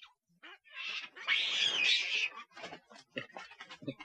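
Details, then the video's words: Monkey call meant to draw nearby monkeys: a loud, harsh, rasping screech lasting about a second and a half, rising in intensity, then followed by a string of short, choppy, irregular bursts of lower, rougher calls. "Sound to Call Monkeys"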